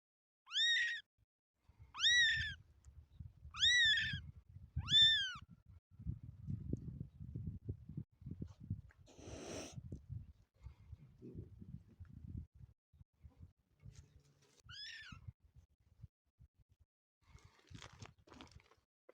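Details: Motherless kitten giving four high, clear, arching meows about every one and a half seconds, then low rustling and handling noise, with one more thin meow near the end.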